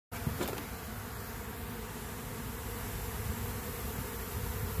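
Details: Many Western honey bees (Apis mellifera) buzz together in a dense, steady, low hum as a stronger colony robs a weak, queenless colony.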